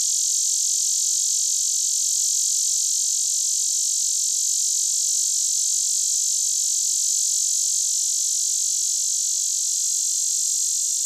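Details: A male lyric cicada, Neotibicen lyricen, a common annual cicada of Illinois and the Midwest that sings throughout the day, gives a steady, high, hissing buzz that holds without pulsing.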